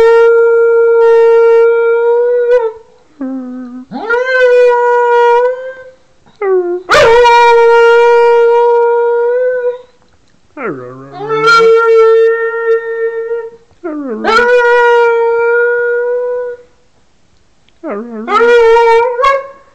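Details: Pet dog Wags singing: sustained, clear howled notes held for two to three seconds each, several starting low and swooping up before leveling off, with brief pauses between phrases.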